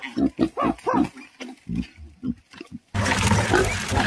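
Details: A girl catches a wild boar piglet as a wild pig attacks; the piglet gives a quick series of short arching squeals and grunts, then loud rushing noise takes over.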